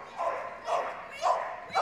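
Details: A 6-year-old female Border Collie screams excitedly during an agility jumping championship run at Crufts 2024. She gives loud, high-pitched screaming barks in quick bursts, about two a second, as if asking to go faster.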